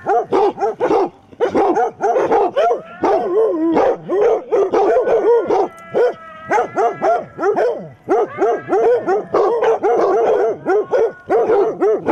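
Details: Several of eight basset hounds barking together at a mechanical Halloween cat, defending against it: dense, overlapping bursts of deep barks with drawn-out, wavering howl-like bays mixed in, almost continuous throughout.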